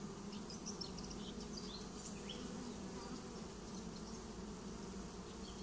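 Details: Honeybee swarm getting a new home: a steady, dense low hum with bands around 200 and 400, even loudness throughout, and faint bird chirps scattered high above.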